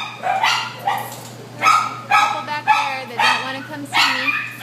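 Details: Shelter dog, a white terrier mix at Devore, barking in a rapid series of sharp, ringing barks, roughly one every half second to second, over a constant low electrical hum.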